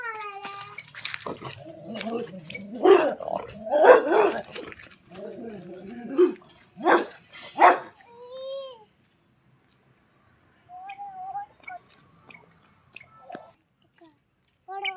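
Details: Dog barking at children: several loud, sharp barks burst out between 3 and 8 seconds, mixed with excited children shouting and talking in Tamil; quieter voices and faint sounds follow after a near-silent gap.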